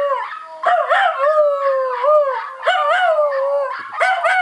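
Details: Max, a pet Schnauzer, howls in short wavering bursts, each starting with a sharp rising yip that slides into a sustained, slightly falling tone, about four phrases in quick succession.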